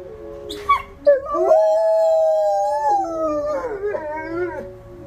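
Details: Two dogs, Ryuk and Ookla, howl in their kennel before feeding, set off by the monthly tornado siren test; long sustained harmonic howls that waver and overlap, one voice holding steady while another rises and dips.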